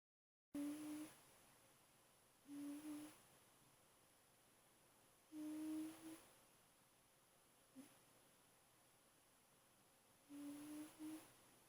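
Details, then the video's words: German Shepherd puppy named Vader, 8 weeks old, asleep and snoring: soft hummed tones repeated about every two and a half seconds, each a short low drone with a slight rise, over a quiet indoor hiss. "sleeping, snoring and making sounds"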